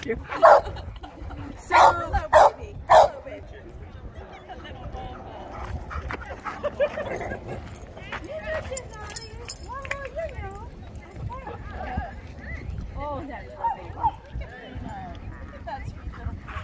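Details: An Old English Sheepdog meet-up on a warm afternoon at Grape Street Park in San Diego, with dogs excited to see each other. Four loud barks open the recording, followed by long strings of rising and falling whines under people chatting.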